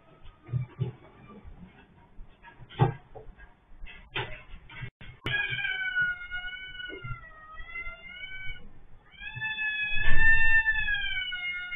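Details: Orange house cat with its head stuck in an automatic litter box, caught on CCTV. Clattering knocks and thumps come first, then long, drawn-out, wavering meows: two sustained cries, the second rising and falling before fading.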